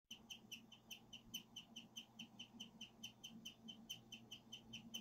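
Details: A pet guinea pig chirps like a bird in a steady run of high notes, about four each second, a rarely heard guinea pig sound.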